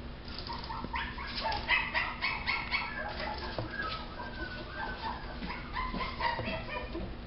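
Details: Maltese dog giving rapid, high-pitched yips and short barks, harmonic and bright, about four per second in uneven bursts, with a quieter stretch mid-clip and a faint room hum beneath.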